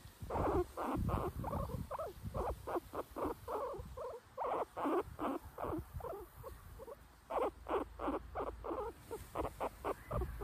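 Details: Bela, a pet guinea pig, sits caged in a shady backyard while Tikaani the husky investigates the cage. She makes rapid bursts of short, clipped chirping pulses, about three per second, with brief pauses between bursts.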